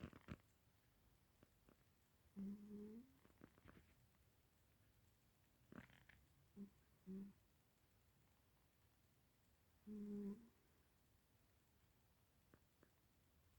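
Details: Sleeping cat snoring: short, low droning bursts with a buzzy edge, coming at irregular gaps of a few seconds over a quiet indoor background, with a faint murmur at the end.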